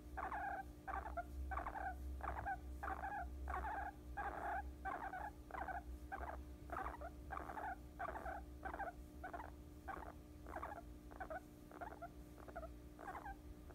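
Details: Guinea pig sleeping on a person's lap, giving a steady run of short rhythmic pulsed notes, about ninety a minute, over a low constant hum.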